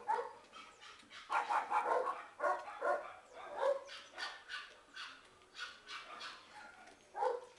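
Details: Two 8-month-old male terrier-mix puppies, mixes of a big terrier breed like Stafford, awaiting adoption: a rapid string of short, bright barks and yips in quick bursts, louder around the middle, then a final sharp bark near the end.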